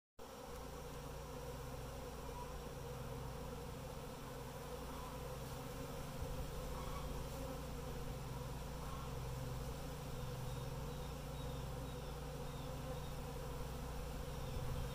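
A honey bee swarm gives a steady, low, droning hum that barely changes.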